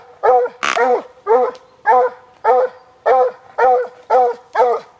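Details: Darby, a rescued Walker Hound of a strain developed for deer hunting, bays on sighting a deer in Preservation Park, Guelph, Ontario, Canada, on a hot summer day in 2012; loud, even bays repeat about twice per second, with one harsh rasping burst early on.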